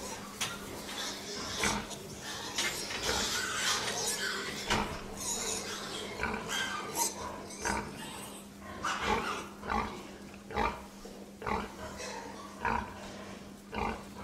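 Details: Pig calls heard as rough, broadband squeals and snorts over a steady low mechanical hum, with sharp clicks and knocks recurring toward the end.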